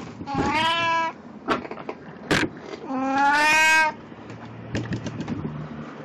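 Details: Puran, a pet cat dressed in a Snow White costume for an encore after a birthday party, recorded 1 April 2017, gives two drawn-out, harmonic-rich meows, the second louder and longer, with faint clicks and thumps between.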